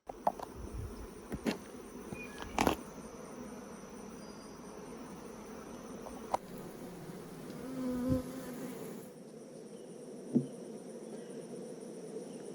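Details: Busy, abundant honeybees being inspected at a hive on a farm in the Smoky Mountain foothills of Tennessee: a steady low droning hum, broken by sharp knocks and handling clicks, with a brief tonal buzz near the end.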